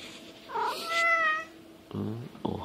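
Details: Domestic cat giving a meow likened to the Japanese greeting "ohayo" (good morning): a short rising onset, then a steady, strongly harmonic tone held about a second. A person's low voice follows, repeating the greeting.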